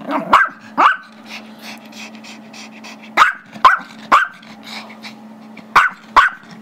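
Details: Barking Chihuahua/Yorkie mix Gizmo, 5 years old, really wants the squeaky toy held by his Yorkie brother; short piercing barks in pairs and triples with quiet gaps, a low hum running throughout.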